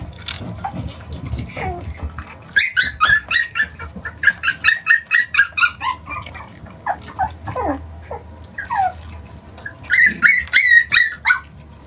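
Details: Shiba Inu puppy only 41 days old, tugging against its owner in a play fight; quick series of high-pitched yelps and squeals, some sliding downward, pausing, then another burst of shrill yips, with soft thumps below.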